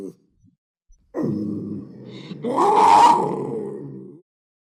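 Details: Low, throaty panther growl that begins softly, then swells into a harsher, louder roaring peak before fading out after about three seconds; quiet surroundings.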